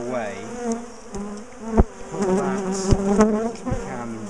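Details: Disturbed bees from a large colony during splitting and relocation of a top bar hive; a dense, wavering hum of many wings swells and fades, with several loud clicks and knocks from the hive work.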